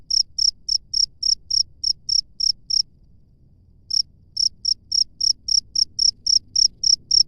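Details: Cricket in the wild chirping in crisp high pulses, about three and a half per second, pausing for roughly a second midway before picking up the same rhythmic series again; soft low hum behind.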